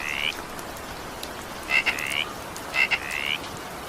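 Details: Frog in evening rain: a rising buzzy trill, then two more calls each opening with a sharp double click and running into a longer rising trill, about one second apart, over rain hiss.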